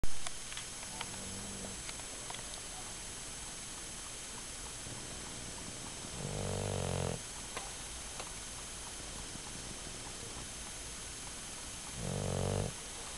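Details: Sleeping dog snoring indoors: two low, rasping snores about six seconds apart, each lasting under a second, over a steady quiet room hum.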